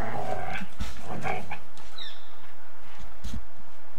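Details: Golden Retriever and Samoyed at play, mouthing each other in bitey face and running after each other, filmed on 8mm tape. A cluster of gruff growls opens the clip and thin hiss fills the quieter second half.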